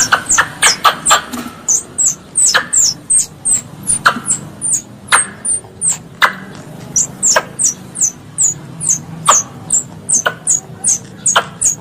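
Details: Squirrel, described as a pest, calling its mother: a steady run of sharp, high chips, each with a clicky attack, about two per second, over a faint low hum.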